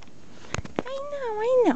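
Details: A female Pembroke Welsh Corgi puppy playing in Brazil gives a drawn-out, tonal whine that wavers, then drops sharply at the end.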